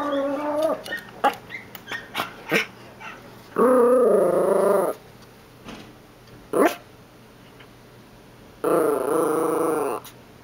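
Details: Pet dogs indoors, unhappy at another dog barking somewhere outside, give short yips and whimpers followed by two long, wavering, howl-like grumbles of about a second each, harsh and harmonic, with a sharp yelp between them.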